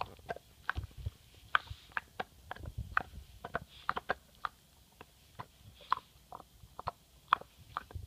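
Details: Pet English Bulldog MOTO gnawing a bone inside a small room, steady crunchy bites and wet clicks arriving roughly every half second, with low thuds between them.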